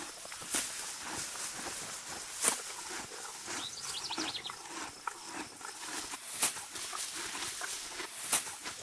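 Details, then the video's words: A Morgan horse mare grazing in deep spring grass outdoors: crisp broadband tearing and crunching bites at an irregular pace, with a few sharper snaps. A faint chirping bird is briefly heard in the background. "HQ sound of my Morgan Horse spring grazing."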